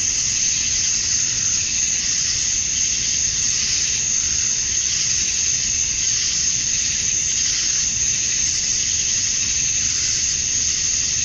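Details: Male cicadas calling to attract females at dusk on a summer night in Georgia, USA: a dense, unbroken high-pitched buzzing hiss that holds steady in pitch and loudness throughout, with no pauses and no other clear sounds.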